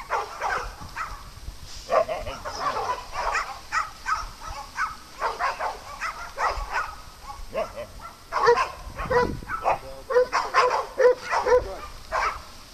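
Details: Farm dogs during playtime bark almost continuously, with clustered overlapping yaps and yelps coming in rapid bursts, several voices layered together against open-air background noise.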